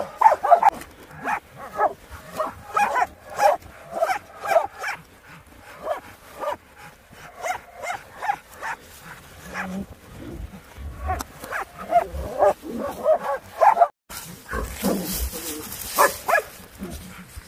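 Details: Laika dog on a wild boar hunt for African swine fever control, giving a long run of rapid, fairly even barks, several per second at times, ending in a burst of rushing, wind-like noise.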